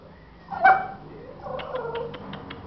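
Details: Caged American Bully puppies of Gottiline-Remyline lines in Aguascalientes, Mexico; one sharp high whine, then a run of short squeaky yelps repeated several times a second.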